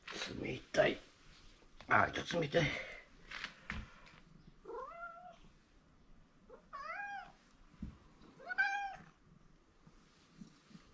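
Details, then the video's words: Attention-seeking meows from Mike, a male house cat fond of his owner; a person speaks first, then three short arched meows follow at roughly two-second intervals in a small room. "マイクなぜ鳴くの？ He likes me so much, but Too noisy."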